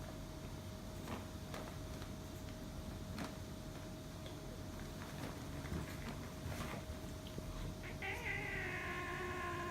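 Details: Cats fighting, one making strange sounds: quiet scattered clicks and knocks for about eight seconds, then a sustained, wavering, harmonic-rich yowl rising in the last two seconds.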